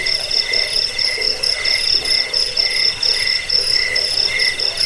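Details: Crickets offered as a sound to repel rats, lull listeners to sleep and train birds: shrill pulsed chirps in two high bands, repeated in quick bursts about every half second, with several callers overlapping.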